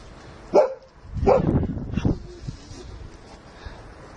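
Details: Female Sussex Spaniel at play with her two owners and another dog, giving three short, sharp barks about three-quarters of a second apart, followed by quieter rustling and a brief low note.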